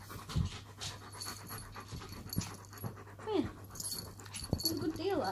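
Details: German Shepherd Shadow and Chihuahua Poppy squabble over their owner, irritated grumbling when a dog comes too close; panting and thuds, a brief falling whine past the middle and a wavering whine at the end, over a steady hum.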